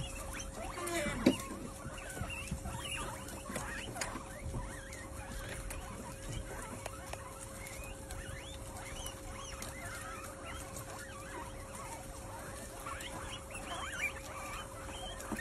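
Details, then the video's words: A group of guinea pigs at a feast, short high squeaks and rising chirps scattered through continuous munching and patter, one louder squeal near the start, a faint steady hum beneath. "Feast of guinea pigs"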